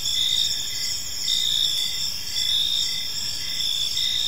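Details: Evening chorus of crickets in a quiet park, a dense high shimmering drone broken by brighter trilled bursts recurring about once a second over soft low ambient noise.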